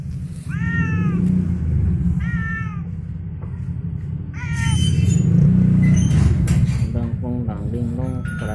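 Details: Cat coming home angry and hungry lets out a series of short, curving meows, roughly one every one to two seconds, amid loud low background noise and a person talking near the end.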